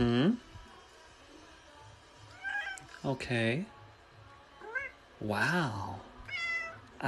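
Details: Kitten meowing indoors, several drawn-out, arching meows with rich harmonics spaced across a few seconds, mixed with human speech and faint background music.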